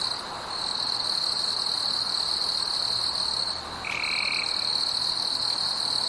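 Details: Night forest insects hold a loud, sustained high-pitched drone with a brief dip near four seconds, where a single short, flat, lower tone appears; fainter high bands run above throughout.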